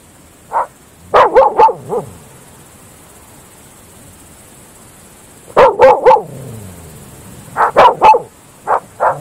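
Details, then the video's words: Groenendael Belgian Shepherd dogs at night in open fields, giving loud, harsh barks in tight clusters of three or four, separated by several seconds of near silence, each burst trailing a low echo. "Dogs barking at night in open fields Belgische Herdershond Groenendaler"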